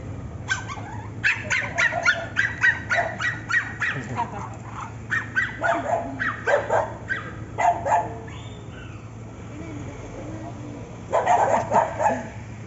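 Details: Siberian Husky with other dogs: a run of quick yips and barks, a pause, then another short burst of yips near the end, over steady background hum and some human speech.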